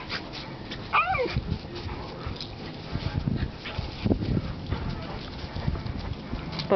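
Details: A 10-week-old Alaskan Malamute puppy playing with its owners in a backyard gives a brief, high, wavering whine among people's voices and soft thumps.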